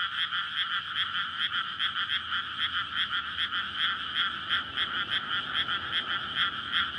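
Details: Many frogs croaking together in a water-filled rice field on a May night, courtship chorus after the paddy is flooded before planting; continuous layered croaking with rapid pulses several per second, loud and unbroken.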